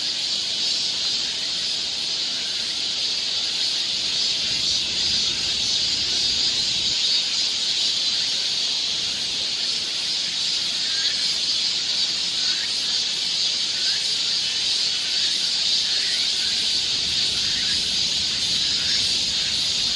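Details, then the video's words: Cicadas filling a summer forest trail in Seoul, Korea: a constant high, hissing drone throughout, with faint short chirps from other callers scattered lower beneath it. "cicada sound"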